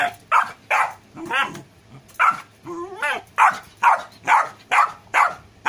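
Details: Golden retriever puppy Rocky barking steadily, roughly eleven short yappy barks, broken in the middle by two drawn-out wavering whiny yelps before the rapid barking resumes.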